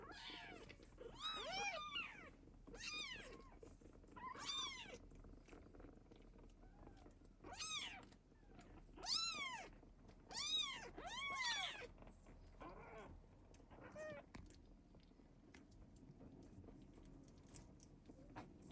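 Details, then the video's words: Mother cat with her kittens while protecting and feeding them: a run of repeated arched meows of varying loudness, some overlapping, roughly every second in the first half, then fading to softer scattered calls amid light rustling. "Mother Cat Protecting Her Kittens and Mother Cat Feeding Kittens"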